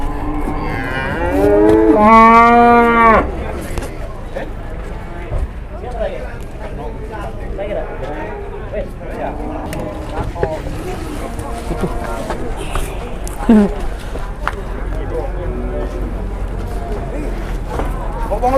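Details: Masked cattle arriving in Indonesia, coming down off a truck. One loud, drawn-out moo near the start lasts about two seconds and rises slightly, followed by softer low lowing, faint voices and steady background rumble.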